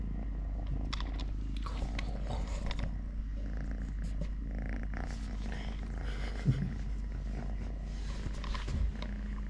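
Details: Totoshka, a three-legged pet cat, purring continuously in a low, throbbing rumble over nearly ten seconds, with scattered light rustles and clicks on top.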